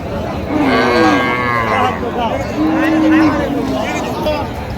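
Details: Cows with calves at Raniganj cattle market in Dinajpur on 20 October 2025. Two drawn-out low moos, the second steadier and longer, about two seconds apart, over constant crowd chatter and bargaining voices.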